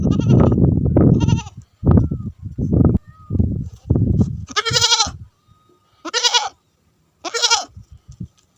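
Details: Goats with sheep after rain in Tharparkar, Thar: a low rumbling stretch gives way to three loud, quavering, harmonic-rich bleats about a second apart, separated by brief quiet.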